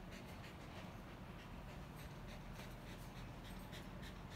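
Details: Lucky, a dog disabled from birth, panting during play: rapid, steady breaths repeated several times a second under a wash of broadband household noise.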